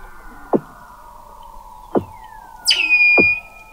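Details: Weddell seal vocalizations beneath McMurdo Sound sea ice, Antarctica, recorded November 2017 at 21 m depth: three sharp descending chirps about 1.3 seconds apart over a low steady hum, then a bright high tone that settles into a flat whistle.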